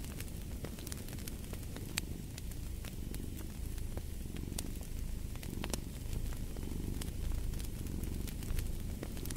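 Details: Low, rumbling cat purr swelling and fading softly, partly buried beneath the dense crackling and snapping of a fireplace.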